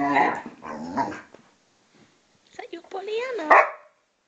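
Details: Vizsla and pointer dogs, Tarkas aged 2½ and Noonoos 12, play fighting: loud whining, moaning growls with wavering, rising and falling pitch in two bursts separated by a short silence.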